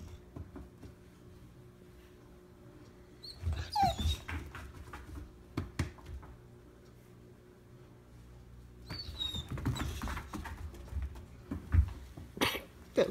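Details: Abby, a shelter-adopted dog, uses her quiet 'inside bark' while waiting for her toy in a room: two clusters of muffled woofs and whines separated by a few calm seconds.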